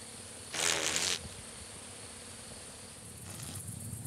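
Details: Summer chafer (Amphimallon solstitialis) flying in the evening, countryside of central France, between 22:00 and 22:15 on 30 June 2012: a loud, rough buzz passes for about half a second, followed later by a fainter, shorter buzz.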